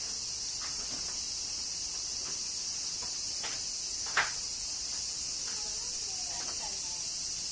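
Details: Summer cicadas in Kyoto, Japan, singing as rain falls: unbroken high hissing drone, with soft drop-like taps and one sharp louder click midway.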